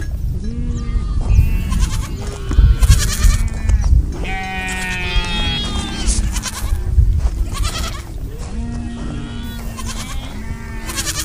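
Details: Sheep calling as a group, with many quavering bleats of different pitches overlapping almost continuously, some high and strained, others deeper, above heavy low-frequency rumble.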